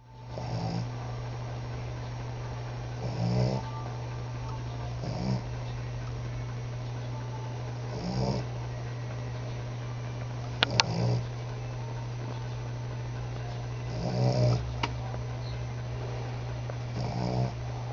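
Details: Female cat asleep in a home office at the end of the night, snoring: soft breathy low snores repeat roughly every two and a half seconds over a steady electrical hum, with a few faint clicks.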